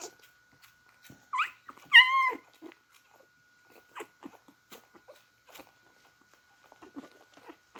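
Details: Beagle puppies drinking milk, indoors; one clear high, rising-and-falling whimpering squeal with a short follow-on cry near the start, then soft scattered clicks and smacking suckling noises over a steady faint electronic tone.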